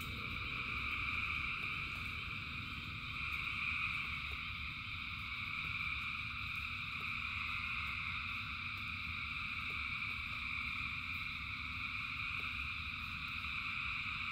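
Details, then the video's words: Massed frogs calling in the rain, a sustained layered trilling wall of sound with slight swells in loudness, rain hiss and rumble below, and sparse clicking drops. "Frogs in Rain 2 Hours of Frogs, Thousands of Frogs Singing"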